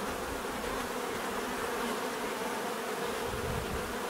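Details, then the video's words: Constant hum of numerous bees in a natural setting, layered buzzing tones held evenly without pauses. "bees therapy relaxing natural buzzing sound"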